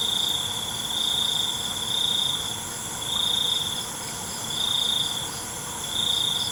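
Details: Crickets at night: a shrill, steady high trill swells in bursts of about a second, recurring every second and a half, over a constant hissing insect chorus.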